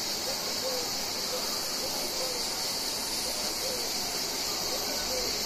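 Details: Cicadas, called cigales, fill the air with a dense, unbroken high buzzing that holds steady throughout, with a few faint short chirps lower down beneath the shrill wash.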